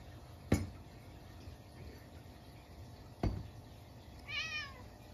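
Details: Munchkin cat indoors at midnight on a snowy day, after a stink bug got into the house: one short rising-falling meow near the end, preceded by two sharp knocks, with steady background hum.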